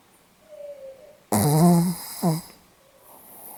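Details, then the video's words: On 8 November 2015 a Pomeranian gives one loud, buzzy, vibrating snore lasting about a second, then a shorter rattling snort, then a faint whistling breath in a hushed indoor space. "ポメラニアン 犬のいびき"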